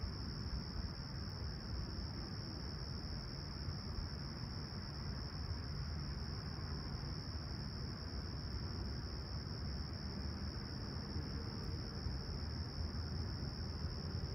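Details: Crickets at sunrise on a clear, calm summer morning, 20ºC, at Humber Bay Shores, Toronto, 28 July 2020, keep up a steady, unbroken high-pitched trill over a constant deep rumble of distant city traffic.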